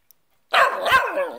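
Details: A Cockapoo talks back while being scolded, one drawn-out yowling bark-moan lasting nearly a second with wavering, falling pitch, loud and close in a quiet room.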